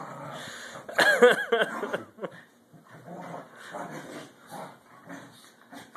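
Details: Two corgis play, vying for dominance: a burst of sharp, tonal barks and yips, then low rumbling play growls.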